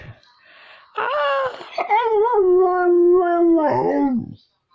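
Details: A young pet dog howls in a small room as it learns to howl, one sustained wavering note that slowly lowers and fades after about three seconds.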